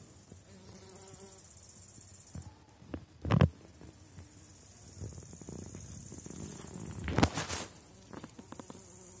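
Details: Honey bees from a strong apiary colony in Poland near the end of the season, kept on 4.9 mm cells: a low humming buzz with steady harmonics, broken by two loud knocks or handling thumps around three and seven seconds.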